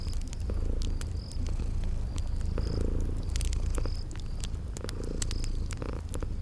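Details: Low continuous purring from sleeping kitties, rising and falling in soft waves, over popping fireplace crackles and short high insect chirps repeated through the background.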